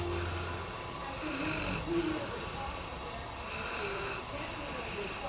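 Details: Beau, a Japanese Tosa dog, sleeping on the sofa and snoring like an old man: a steady, rough, broadband rasp of breathing with a low hum underneath, and a brief tonal murmur near the middle.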